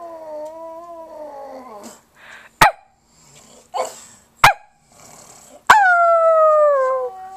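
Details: Pug howling alongside a fluffy puppy: long, smooth, falling tonal howls with rich harmonics, one early and one louder late, separated by a few sharp clicks and knocks.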